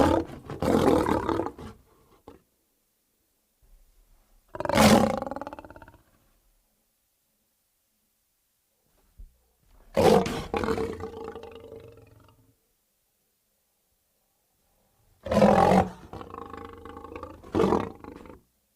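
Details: Lion heard in four separate bursts: harsh, snarling roars of one to two seconds each, some with a short follow-up grunt, split by clean stretches of silence.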